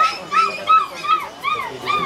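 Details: Black Labrador puppies, about two months old and all female, at Galiff Street pet market, Kolkata, 4 September 2022: steady, repeated high whimpers rising and falling in short arcs roughly every third of a second, with faint voices behind.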